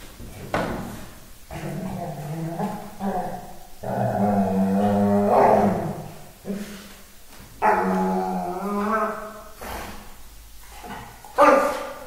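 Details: Dogo Argentino Bob at play with Hulk, a Staffy; drawn-out rumbling growls and whiny, groaning vocalizations come in several long bursts, with brief pauses and a final sharp yelp.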